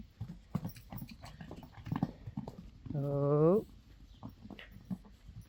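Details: Friesian horses, mares and foals out in the pasture; one short voiced call of under a second, steady and slightly rising at the end, amid thuds, rustling and a faint bird chirp.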